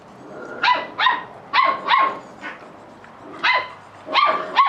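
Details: Catalan Sheepdog puppies, offspring of Bonny and Elgoche, playing together; about eight short, high yapping barks come singly and in quick pairs over a few seconds, bright and harmonic, with a quiet background.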